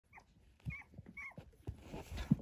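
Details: Three-week-old pinscher puppies at a kennel: thin high squeaky whimpers and short whines in quick succession over soft low thumps and rustling, several small voices overlapping.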